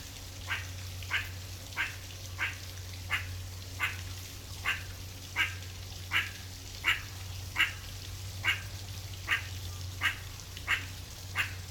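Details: A meerkat (Suricata suricatta) in the wild gives short, sharp chirping calls repeated over a low steady hum.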